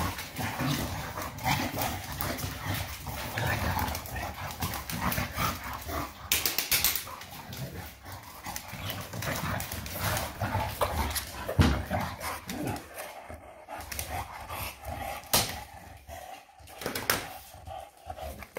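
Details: Shar pei named Eva playing wild indoors: low, rough growling rumbles and huffing breaths run almost continuously, broken by sharp scuffling knocks and thumps of rough play.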